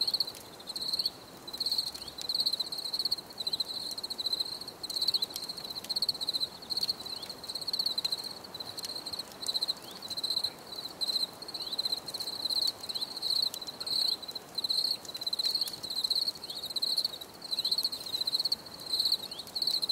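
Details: Crickets in a nature recording meant for relaxation, giving continuous high-pitched pulsed chirps in rapid trains with brief gaps, several insects overlapping; faint clicks in the background.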